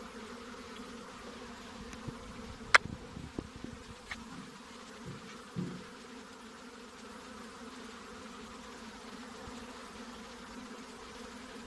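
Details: Honey bees giving a soft steady drone with low banded hum, interrupted by a few sharp clicks and knocks in the first six seconds.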